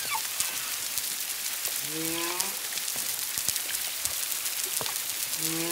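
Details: Humpback whale song from Culebra, Puerto Rico, February 25, 2022, whales one to two miles away with at least a second animal: low, richly harmonic moans, each gliding slightly downward, repeated twice, behind a constant crackle.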